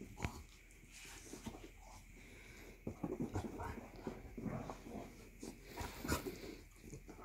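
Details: Three Basset Hounds, one female and two males, play-fighting at home in the morning after breakfast; rough huffing growls and scuffling thumps come in uneven clusters, with a faint steady background tone.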